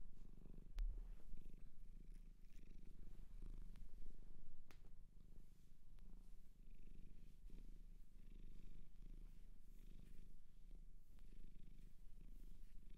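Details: Cat from a shelter in Japan purring indoors, a continuous deep rumble pulsing evenly for the whole stretch, with occasional light taps.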